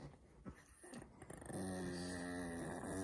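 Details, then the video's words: Long-haired female Chihuahua being affectionate with her owner (the father of the household), who she fawns over daily; soft snuffles give way to a sustained, low, moaning whine with steady layered tones, held to the end. "치와와 애교"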